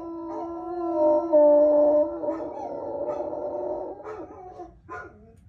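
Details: Bloodhound howling: a long, drawn-out tonal wail held steady for about two seconds, then wavering and breaking into shorter falling yowls toward the end.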